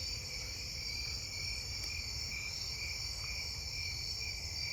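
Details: On an August 19 night in a neighbourhood field, snowy tree crickets sing a steady, mellow trilling chorus, with other night insects buzzing higher, including round-tip coneheads and possibly two-spotted and Davis's tree crickets.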